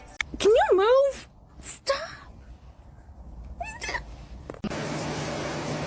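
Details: Domestic cat indoors giving a loud, wavering meow that rises and dips in pitch over about a second, followed by a shorter upward call; human voices and a burst of background noise follow.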